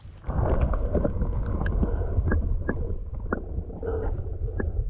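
Low rumbling noise, like wind buffeting or an engine, dominates, with scattered clicks and knocks and no animal voice.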